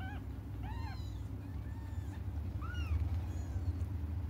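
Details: Young cats crying while they wait for their mother to return: a few short, arched, high-pitched meows bunched near the start and another near the middle, over a steady low hum.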